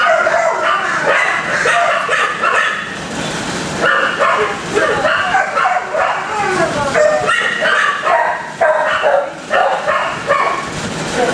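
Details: Many dogs barking together in kennels, a loud, distracting chorus of overlapping sharp barks and yelps that runs without pause through the whole stretch, with some whining notes mixed in.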